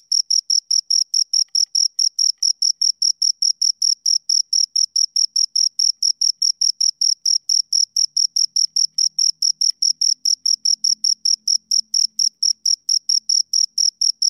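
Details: A pair of crickets chirps nonstop, bright high-pitched pulses tumbling rapidly and evenly, joined midway by a faint low hum in the background.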